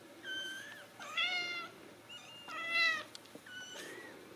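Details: Ragdoll kittens at a home cattery in central Kansas mewing steadily, four clear harmonic meows in quick succession, some flat and drawn out, others bending upward, with a couple of soft clicks between them.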